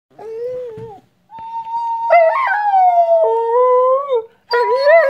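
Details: A 4-year-old Borador dog howls indoors while a person plays a newly bought recorder: drawn-out, wavering howls with rich harmonics, sliding up and down, broken by short pauses, blending with steady whistle-like recorder notes.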